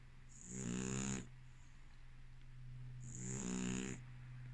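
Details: An Amstaff girl sleeping soundly gives two rattling, buzzy snores about three seconds apart, each with a hissing top and vibrating throat flutter, against a faint continuous electrical hum.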